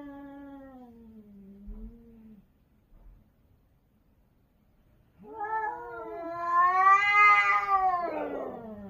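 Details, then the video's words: Cats crying during a territorial fight: a low, sagging moan fades out, then after a silent gap a louder, harsher yowl rises sharply and swells into a strained, raspy wail. "고양이 울음소리,고양이 영역싸움,cats fight"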